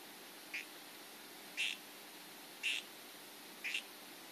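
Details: Harlequin poison frog of the 'redhead' form calling: four short, buzzy, rattling chirps at roughly one-second intervals, each a brief burst standing out from a faint, steady background hiss.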